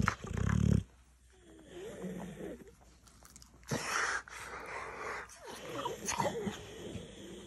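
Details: Dogue de Bordeaux reacting to being tickled, giving a loud low snorting rumble, then wheezy, breathy grumbles and snuffles in a small room.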